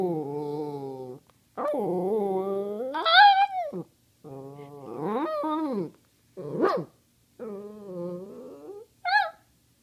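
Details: Cody, a pet dog that loves to talk, asking for treats with long, wavering, harmonic whines and moans in several drawn-out phrases, some rising to a higher, strained pitch, separated by short silences.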